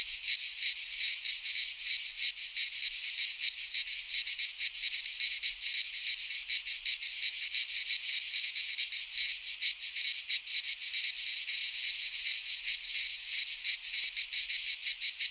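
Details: Pine forest in Greece at midsummer, filled with singing cicadas: a continuous, piercing, rasping buzz with rapid irregular flutter, loud and unchanging throughout, with nothing else audible.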